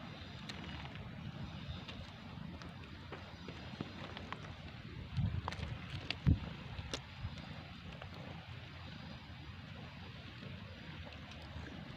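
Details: Steady wind rumble and low vehicle-like noise with a few brief knocks around the middle; no animal voice stands out.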